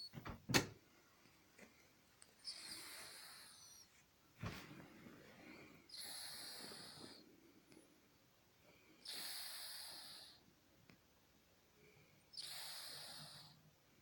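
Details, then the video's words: Titan, a 31-year-old Scottish Fold cat, sleeps indoors during one of his daytime snoozes, lightly snoring: soft, breathy, wheezy bursts come about every three seconds with quiet pauses between, after a couple of sharp clicks early on. "Titan - worlds oldest cat sleeping and snoring away"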